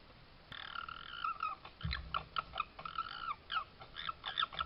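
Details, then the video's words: Red fox in a Suffolk garden, caught on a trail camera 19–20 July 2022: a run of squeaky, harmonic calls repeated in short bursts with little pause, and one dull low thud midway. "lots of cute fox noises and a fox sneeze"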